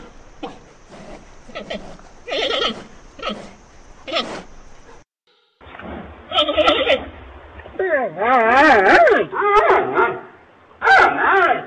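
A giant panda gives a run of nasal, goat-like bleats, some wavering and quavering in pitch.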